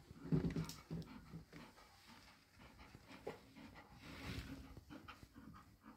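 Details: Nine-day-old Golden Retriever puppies make soft whimpering calls and snuffling breaths in a quiet room.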